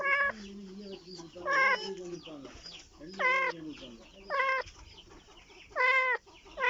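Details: Kitten calling in search of its mother: loud, high, wavering meows repeated about every one to one and a half seconds, some falling in pitch, with a lower murmuring voice between calls.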